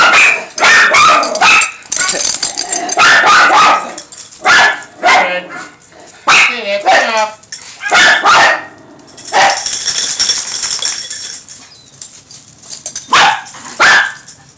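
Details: Dogs barking at a person walking by, recorded on a phone: repeated sharp barks in bursts, several voices overlapping, with people talking in between.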